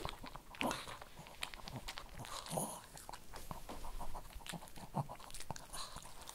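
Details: A Shih Tzu crunches kibble indoors. Sharp, quick bites and mastication clicks come in uneven clusters over a low background rumble.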